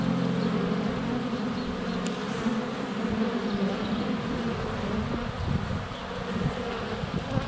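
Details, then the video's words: Honey bees swarming in flight around a hive entrance during sunny February weather, recorded by a GoPro Hero 7 Black within a foot of the hive; dense, even droning buzz with passing bees shifting the hum's pitch. "4K Honey Bees - ambient video and audio"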